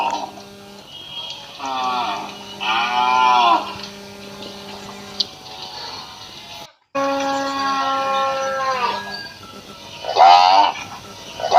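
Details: Village cattle in Assam, India, with a calf taking milk; drawn-out, wavering moos rise and fall in bursts of one to two seconds, separated by quieter gaps, over a steady background tone that sounds like music.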